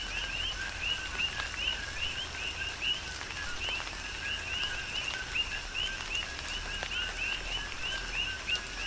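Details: Coqui frogs on Hawaii's Big Island call in tropical rain: clear upward chirps roughly every half second, some overlapping, above a softer low note, with heavy rain hiss and sharp raindrop taps.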